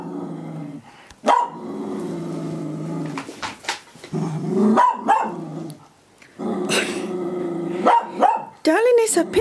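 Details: Cocker spaniel in a living room barking at what is presumably her reflection; bursts of sharp barks separated by pauses, mixed with a person speaking and background music.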